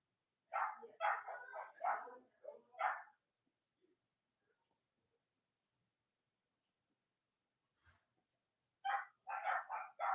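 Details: Cavalier King Charles Spaniel puppies from Robin and Myra's litters, filmed indoors on a chilly Monday morning near Halloween in the US, give a quick run of sharp high yips, then a long silence and another burst of yapping.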